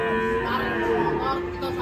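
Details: Agitated cow that fell into a ditch while being unloaded from a truck in Indonesia, lowing in a steady, tonal moo under overlapping human chatter.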